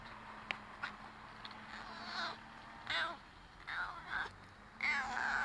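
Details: Visiting garden cat, previously fed now and then over three years, meeting the recorder up close for the first time on 24 July 2015; several short, bright meows and chirrups at irregular intervals, the last longer and wavering.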